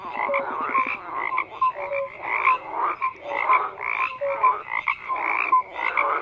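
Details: Chorus of croaking frogs: pulsing bursts of harsh croaks repeated roughly every half second, short bright tonal notes scattered among them, a quick rattling series near the start, loudness swelling and dipping steadily.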